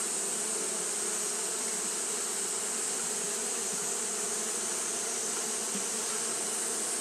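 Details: Japanese honey bees fanning through a hot day make an unbroken buzzing drone, the low hum slightly pulsing while a high sustained hiss stays constant.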